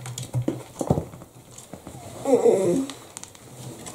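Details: Italian Greyhound Bella, a female giving birth to her first litter of white puppies indoors, gives one brief harmonic whine that rises and falls near the middle, after soft thumps and rustling.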